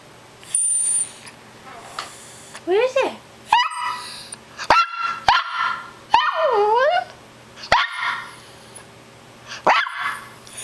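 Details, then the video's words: Poodle Callie barks repeatedly in bursts, mixing short sharp barks with drawn-out, sliding whine-like yelps, over about ten seconds, while people talk nearby and sharp clicks punctuate the sequence. "Callie Barking"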